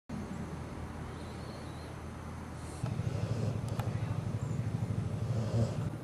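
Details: Mia, an American Staffordshire Terrier mother, growls at her four-week-old puppies while eating a treat, described as food aggression; after three quiet seconds a low, rumbling growl begins and pulses steadily to the end.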